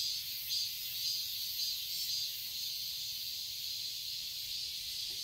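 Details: Cicadas chorus in a Seoul, Korea garden in summer, a dense high hiss pulsing about twice a second with steady overlapping buzzing bands.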